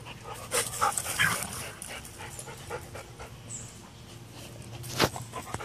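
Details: Roxy, a small Teddy Roosevelt Rat Terrier, runs around excitedly after her bath, recorded 1 August 2014 on a Samsung Galaxy Note 3 phone; soft breathy bursts and scuffling paws, with a sharp knock near the end.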